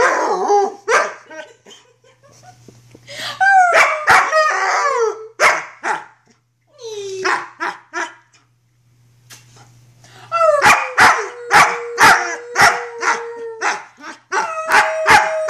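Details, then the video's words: Luna, a female wolfdog puppy about six to seven months old, filmed in 2013 while roughhousing: sharp barks and yips broken by drawn-out tonal howls, one steady howl holding for nearly three seconds near the end, with short silent gaps. "Wolfdog Howling & Roughhousing"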